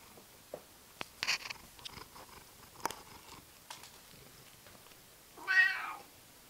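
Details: A seal point Siamese cat gives one short, rich meow after a stretch of soft clicks and knocks.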